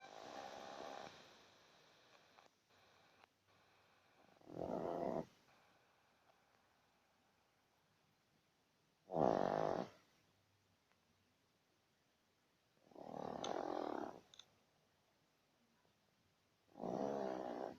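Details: Badger snoring: rough, breathy snore bursts about half a second to a second long, four of them spaced roughly four seconds apart, with quiet breathing between them.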